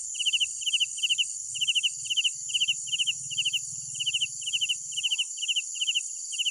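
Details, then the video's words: Crickets at night give rapid bursts of three or four pulsed chirps, coming about every half second above a continuous high-pitched background chorus, with faint low rumble. "Sounds of Night Crickets"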